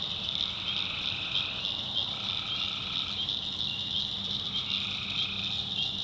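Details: Tree frogs calling at night in the backwoods of North Carolina swamp country: a dense, unbroken high-pitched trilling chorus. Fainter, lower droning notes come and go in bursts of one to two seconds behind it.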